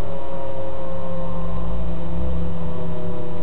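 A steady low mechanical hum with no animal voice.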